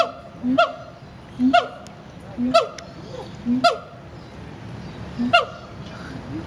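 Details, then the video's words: Siamangs at Riverbanks Zoo in Columbia, South Carolina, yell at each other one morning with loud, honking barks, each preceded by a low booming note, repeated about once a second. "Siamang apes yelling at eachother"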